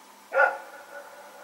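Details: A single sharp, ringing bark from Rex or his companion, dogs running about during the night in Pyrga on Sep 21, 2018; quiet background afterwards.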